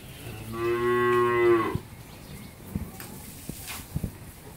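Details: Pregnant Friesian cow on a dairy farm in Pabna, Bangladesh, due to calve within a week, gives one strong harmonic moo lasting under two seconds, then quiet with a few clicks and knocks.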